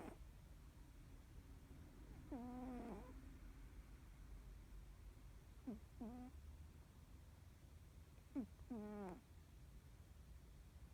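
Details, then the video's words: Norwegian Forest Cat fast asleep, face twitching as if dreaming, makes short irregular snoring breaths, some brief and clipped, others longer and wavering, with pauses between. "いびきをかく猫2 ノルウェージャンフォレストキャット"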